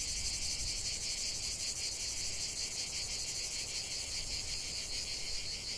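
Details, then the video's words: A chorus of cicadas in a natural setting fills the air with a constant shrill rasping drone, softly throbbing in rapid regular pulses, with a faint low rumble underneath. "45 min de chant des cigales"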